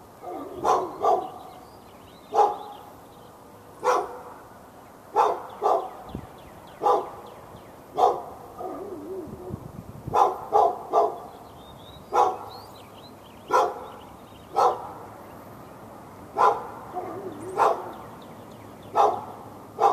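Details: Dog behind a fence in Raleigh, North Carolina, barking nonstop at the dog next door on February 15, 2012; around twenty loud, short barks, roughly one per second, some in quick pairs, with soft birdsong in the background.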